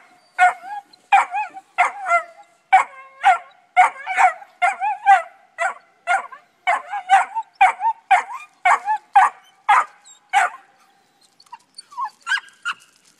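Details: Dusty and Honey, pups treeing, bark steadily at about two per second, clipped yips blending into short bawling bays, voices overlapping, easing off and fading near the end.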